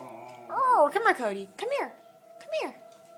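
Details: Cody the pet dog reacting to a tornado siren with short, arching yelps and broken howl fragments, three bursts over a few seconds, a steady siren tone and possible human voice in the background.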